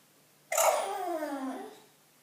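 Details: An attention-seeking bulldog inside a small room lets out one drawn-out whimper: it starts sharply, then glides steadily down in pitch for about a second before fading.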